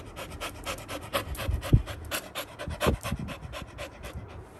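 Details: A Labrador puppy, excited by the sound of a paw ball being shaken, pants fast and steadily while a person gives short commands like "sit" and "done".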